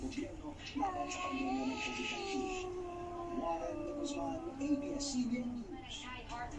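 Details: Domestic cat, female, angry at another cat in the house: a long, low, wavering yowl with stacked harmonics, held for several seconds, while a woman calls the cat's name and tries to coax her away from a fight.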